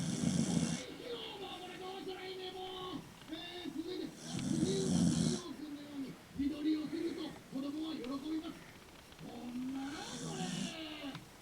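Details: Asleep indoors after losing his love Nana, a three-year-old Mame Shiba, the dog Leo gives breathy, rasping snores near the start, around four seconds, and near the end, while a human voice talks almost continuously throughout.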